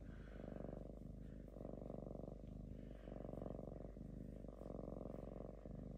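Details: Relaxed lynx kept in an apartment, drowsy and possibly falling asleep, purring loudly: a deep rattling rumble in regular cycles about one second long, alternating with short breath breaks, like an idling engine.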